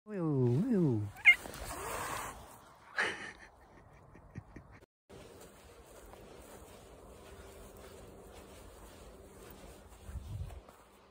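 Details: Black cat warning a person to back off: a low wavering moan-growl first, then sharp breathy hisses, followed by quiet rustling and a man's voice speaking.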